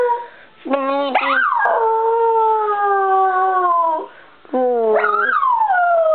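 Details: Bichon Frise dog singing: a long howl held steady and slowly sinking, then a second howl that swoops up and glides back down, tonal with clear overtones, a short quiet gap between.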